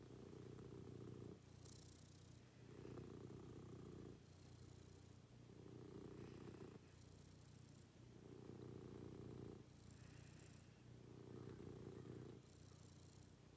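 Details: Cat at home during the morning routine, purring steadily: a throaty low rumble rising and falling with each breath, around six cycles, with light breathy hiss on the in-breaths.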